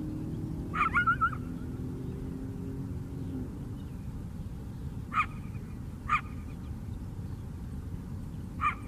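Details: A coyote filmed on a lakeside hike on Chicago's south side gives sharp, short barks, a quick cluster and then single yaps, over a low traffic rumble.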